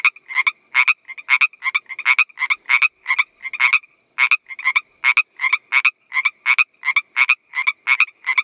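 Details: A male Northern Pacific treefrog gives its mating call: quick, raspy two-part 'rib-bit' notes repeated in a steady chorus-like run; finding: Pacific chorus frog.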